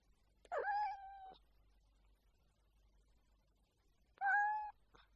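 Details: Cat gives two drawn meows, the first about a second long with a wavering, slightly strained onset, the second shorter and steadier after a three-second pause; low background rumble throughout.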